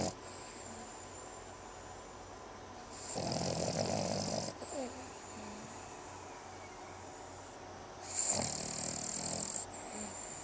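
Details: A sleeping Boston Terrier snores in rough, noisy, creepy-sounding breaths, with a steady hiss underneath.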